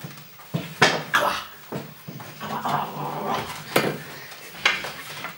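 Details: Golden Retriever puppies from a B litter at a breeding kennel in the Westerwald, indoors in a small room: short high yelps and a drawn-out whimper among sharp knocks and clattering like dishes.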